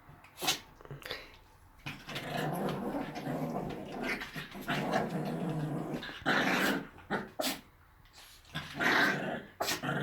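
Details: Chihuahuas playing; rough, noisy growls and snuffling bursts fill most of the ten seconds, broken by short sharp clicks and brief pauses between louder spells.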